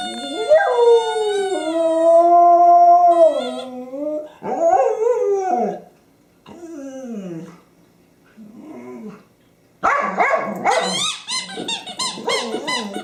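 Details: Honey the pet dog howls beside her favorite squeaky toy, 24 January 2012: a long wavering tonal howl, then several shorter falling wails with pauses, ending in a burst of high squeaks and yips.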